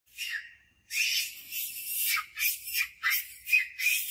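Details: Monkey Scarlet screaming loud for help as Monkey Suk shows power over her while Rose eats mango; harsh, high-pitched screams in about eight bursts over four seconds, each roughly half a second long with short gaps between.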